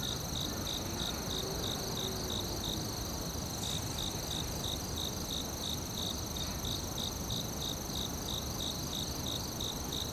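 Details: Crickets in a forest chirp in steady, rapid pulses over a continuous high insect trill and soft background rumble.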